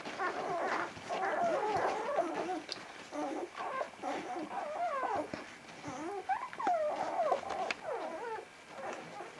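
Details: Vizsla puppies from one litter, recorded on 10 January 2013: many high, squeaky whimpers and short squeals overlapping in rapid, irregular bursts.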